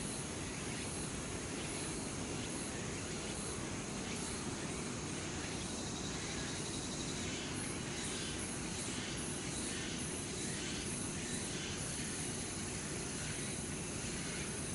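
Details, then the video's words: Many cicadas calling loudly among palace trees at Changgyeonggung, Seoul, South Korea, as summer ends. A thick, hissing drone carries rhythmic high pulses repeating several times a second in waves, over a constant low hum. "Singing of Cicadas in Late Summer 늦여름 매미들의 시원한 합창소리"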